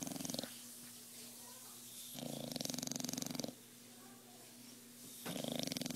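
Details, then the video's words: A sleeping bulldog snores in slow, rasping cycles: loud rattling breaths from about two to three and a half seconds and again from five seconds, with quieter steady breathing between. "Ziggy snoring away"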